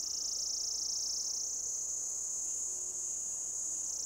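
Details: Loud mating call of an orange cicada perched on a lichen-covered deodar trunk in Uttarakhand forest, Jabbarkhet, India; an intense, continuous high-pitched whine that slowly climbs in pitch, then eases down at the end.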